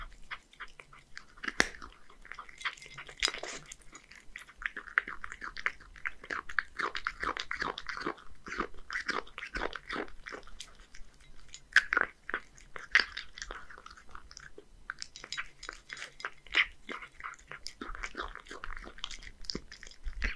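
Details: Close indoor chewing by a one-year-old male Scottish Fold cat, Hige, from Japan, on horse mackerel and dry food: sustained crisp crunching and wet mastication, with a few sharper bites and brief lulls.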